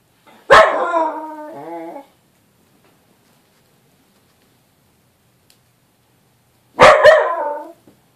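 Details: Small dog shouting at a little Bengal cat: a loud drawn-out yowling bark of over a second, wavering and falling in pitch, then silence for about five seconds before a second harsh, slightly shorter outburst.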